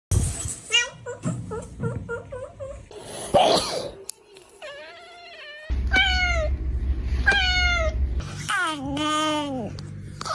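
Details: Domestic cat making a strange noise: a run of short harmonic meows, then longer drawn-out calls that rise and fall, with a steady low hum underneath in the second half.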